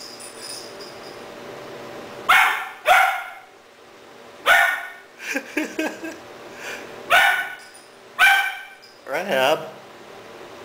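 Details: Three-month-old Doberman puppy in Cebu City, Philippines, October 2009, reacting to a stuffed toy puppy as though it were a real dog; repeated sharp high barks in pairs and singles, a person speaking between them, over a steady hum, recorded on a digital camera.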